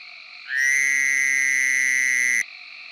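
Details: A single harsh, steady buzz of roughly two seconds from a Fowler's Toad of Tennessee, the bursting call likened to an alarm clock or crying baby, heard against quieter calling frogs.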